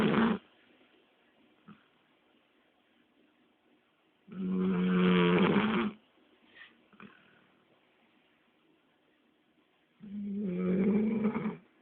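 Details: Pet Labrador Retriever asleep after a long walk, snoring in deep, rattling, harmonic bursts lasting one to one and a half seconds, spaced about six seconds apart, with soft breathy sounds in the quiet gaps.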